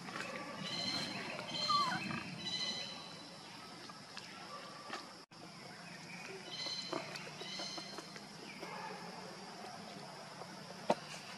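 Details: Monkeys, with the mother Luna carrying baby Luno as she runs fast while Rainbow tries to take Luno away; short harmonic, whiny calls come in bursts near the start and again midway, over steady background hiss.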